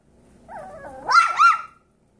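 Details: A seven-week-old Yorkshire Terrier foster puppy lets out a wavering whine that rises into a shrill, squeaky yip lasting about a second, then stops, in a quiet indoor setting.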